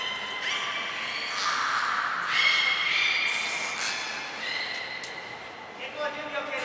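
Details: Beluga at a training session with all animals taking part, Port of Nagoya Public Aquarium, 2 April 2023: overlapping harmonic calls, long level tones with a brief high whistle, held in a large echoing indoor space.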